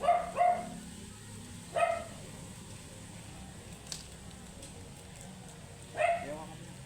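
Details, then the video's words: Angry, matted Shih Tzu being groomed gives four sharp, high barks: a quick pair at the start, one near two seconds and a last one after a long pause, over a steady low hum. "Angry and matted shihtzu"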